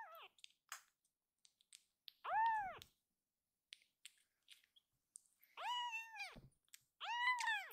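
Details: Akuro, a rescued baby kitten in foster care, crying loudly indoors; she quiets and kneads once held. Four loud, arching meows with rich harmonics, a short one at the start then longer wails spaced a few seconds apart, with soft clicks and taps between.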